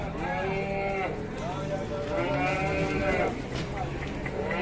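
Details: Angry, raging cattle in Indonesia bellowing: drawn-out harmonic moos with sliding pitch, two long calls and a shorter one, over background voices and low rumbling.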